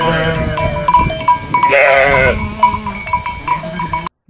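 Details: Bovec sheep, a critically endangered native Slovenian breed from the Bovec and Trenta area, kept for milk and lambs on steep mountain pastures; one wavering, nasal bleat mid-clip over steady ringing bell-like tones and background clatter.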